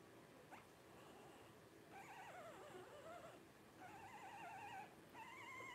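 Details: Faint, wavering whines from 12-day-old Blenheim Cavalier King Charles Spaniel puppies, a litter of five, rise out of background hiss in three drawn-out bursts.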